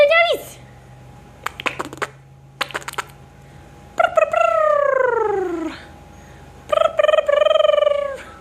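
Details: Bulldog hybrid puppies giving high whiny whimpers and drawn-out falling yelps, with short sharp bursts of clicking or tapping between cries indoors.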